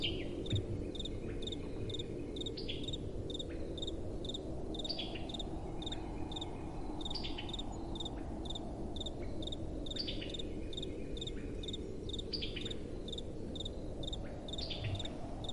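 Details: Several crickets at night overlapping their rapid high chirps, a denser pulsing chorus with fainter trilling notes between, all over a soft continuous wind.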